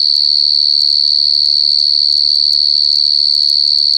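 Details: A wild cricket's steady, ear-piercing trill, fast and pulsing evenly, with a low background hum.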